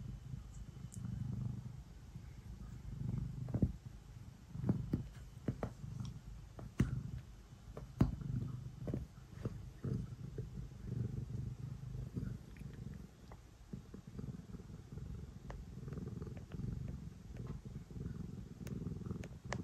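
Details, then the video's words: House cat purring while kneading before bedtime: a steady, low, rumbling purr throughout, pulsing softly, with occasional clicks and rustles from movement. "Cat kneading and purring before bedtime"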